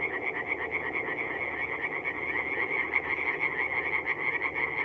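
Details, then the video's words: Chorus of many tree frogs at a forest pond by night, North-East Italy, mid-April. Fast, rasping pulsed calls stack into an unbroken wall of sound, rising and falling slightly in loudness across the nearly five seconds. "singing tree frogs"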